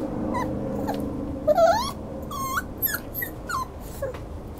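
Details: Schnauzer whimpering in a run of brief, high-pitched squeaky whines, some rising and some falling, spaced unevenly against low background noise.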